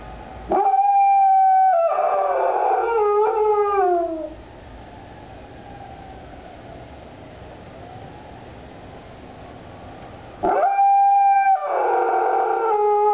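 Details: Dog named Doodle howls along with fire truck sirens, giving a loud wavering howl that slides downward over about four seconds, then a quiet pause before a second howl begins.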